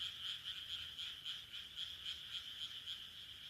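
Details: Rice-paddy frogs in Taihaku Ward, Sendai, Japan, late June 2023, calling together: a steady run of quick, rattling pulsed croaks repeated several times per second.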